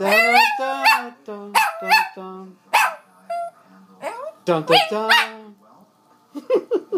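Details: Chihuahua howl-singing along to a person singing the national anthem: bursts of bright, climbing yelps and wavering howls interleaved with low human singing, ending in a few quick high yips.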